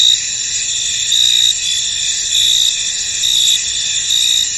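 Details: Crickets in a misty, foggy field: a dense, steady high chirring chorus with brighter pulsed trills rising and fading about once a second, layered over a continuous hiss.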